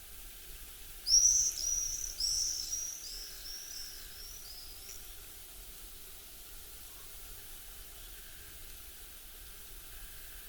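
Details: A chipmunk gives a series of high, sharp whistles, the first loudest, then shorter ones fading over about two seconds, over steady outdoor hiss.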